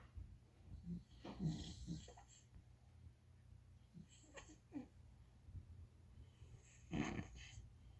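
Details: English bulldog puppy asleep and dreaming, breathing in soft wheezy snores and snorts, louder bursts near the start, middle and end with quiet low rumble between.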